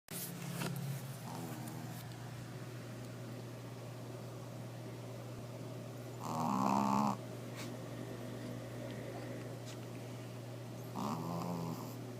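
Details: Fifi, a pet Shih Tzu, snores while asleep indoors: a short rasping snore opens, then two longer buzzing, throaty snores come about five seconds apart, with a steady low electrical hum throughout.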